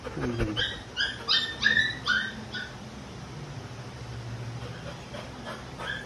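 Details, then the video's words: Stubborn Labrador Retriever giving a run of high, tonal whimpering yips, several short rising whines clustered in the first two seconds, then quieter; a person speaking Indonesian nearby. "Stubborn Labrador"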